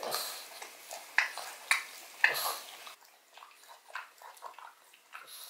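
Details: Odin, a pug, eating a bone filled with bone marrow indoors: wet crunching and gnawing clicks at an uneven pace, a few louder sharp crunches near the start, then softer smacking bites.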